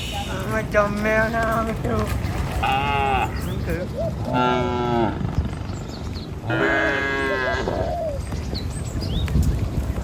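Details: A herd of tame cattle led in the morning across a river bridge toward a village and fields to feed: loud bellowing moos from several animals, a few seconds each, with constant low rumble behind.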